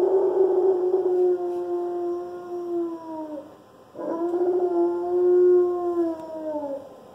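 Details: Young Alaskan Malamute, one year old, in his first howl: two long sustained tonal howls, each held about three seconds and drooping slightly at the close, separated by a short breath.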